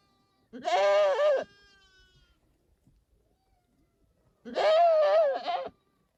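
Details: Domestic goat giving two loud, quavering bleats about four seconds apart, each lasting around a second, with near silence between them.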